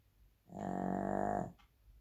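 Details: Single drawn-out snore from a Shih Tzu, a harsh, throaty, vibrating rasp lasting about a second, followed by a brief faint click in a quiet room.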